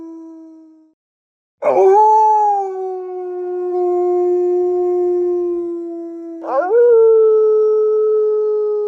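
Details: Wolf howling: the end of one tone fades out, then a long sustained howl begins with a sharp rise and holds steady, slowly sinking, followed by a second howl that rises and levels off, clear and harmonic.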